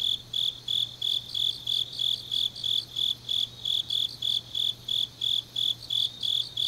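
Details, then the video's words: Grass insects singing on a deep autumn night in Changnyeong, South Gyeongsang, South Korea: high, shrill chirps pulsing steadily about three times a second, a second fainter chorus layered beneath, with a faint low steady hum. "깊은밤 가을 풀벌레 소리"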